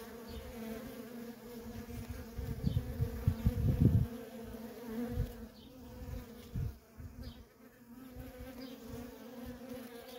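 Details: Worker honey bees in nonstop traffic at a feral colony: a steady low drone with a clear hum band, overlaid by irregular low thumping bursts that swell strongly around the fourth second and again near six.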